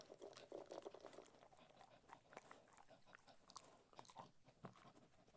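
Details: Ted, a Cocker Spaniel, eating food: dense crunching and biting clicks, irregular and quick, with a soft louder stretch of chewing early on and scattered sharp crunches after.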